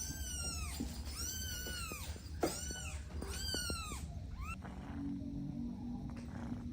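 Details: Domestic kittens playing with their mother and two siblings; a run of high, arched meows, several close together in the first four seconds, over a steady low hum and faint background music.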